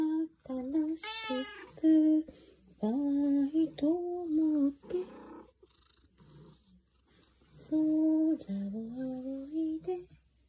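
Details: Black-and-white tuxedo house cat, answering a morning hello in its singing voice, gives a series of held, wavering tonal meows, some sliding upward, separated by quiet gaps with soft low murmurs.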